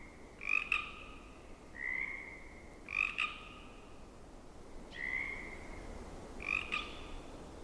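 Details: Pacific chorus frogs in a temperate rainforest wetland call and answer each other with bright, two-part creaking calls, one about every one to two seconds, over faint wetland hiss.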